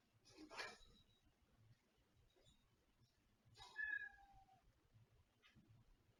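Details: Kittens in a living room: a soft broadband rustle, then a clear tonal meow that falls from high to lower pitch, followed by a faint short squeak.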